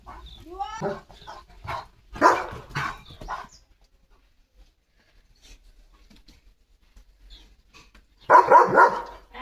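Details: Morning in a flowering home yard as Leo the German Shepherd runs around barking. A man talks over the opening, then gruff barks come near two seconds in, and a burst of rapid barks closes the stretch.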